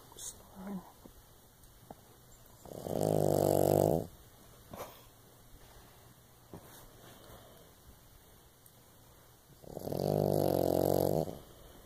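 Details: Female pug–Shih Tzu mix snoring loudly while asleep next to her owner indoors: two long, rasping, pulsed snores about seven seconds apart, quiet breathing in between.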